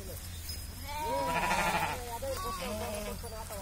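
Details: Village farm sheep bleat in a wavering, nasal cry that rises and falls, overlapping with a man talking and a low engine-like hum.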